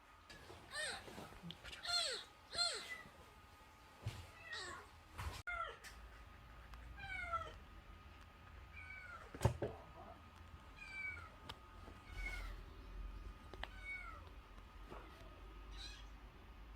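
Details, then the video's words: Nursing kitten under a month old, found crying at the front gate and brought indoors: a string of high, wavering meows, several in quick bursts and others spaced out, with faint household noise and a thump. "대문앞에서 울고 있었다는젖먹이 아기고양이"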